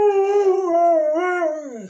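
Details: Pet dog giving a wavering, sing-song howl that dips and rises in pitch twice before sliding downward, as though talking back to its owner.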